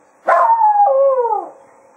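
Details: A single long howl from Cato, the Jack Russell Terrier, farewelling the hounds at the close of a foxhunt at Quail Roost: a sharp onset, then a wailing note that breaks and slides downward before fading.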